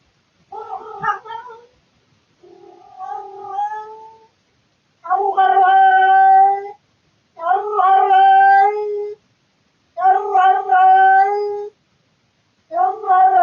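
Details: Male house cat making its nightly 3 to 4 am noises indoors: a run of six loud, rich harmonic yowls, the first two softer, the later ones strong and steady, each lasting one to two seconds with brief pauses.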